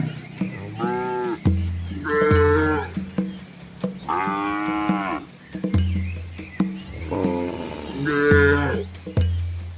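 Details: Village cows in rural Asia, a red herd crossing a small river alongside their calves; four or five bellowing moos, rich and rising-falling, with constant high ticking and a low humming background throughout.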